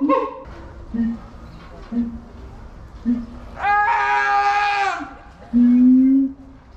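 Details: Captive siamang at Higashiyama Zoo, Nagoya, Japan, recorded February 2021, in high spirits and screaming often: short low hoarse notes at about one-second intervals, then a loud rising harmonic scream and a final sustained tonal note, with background music.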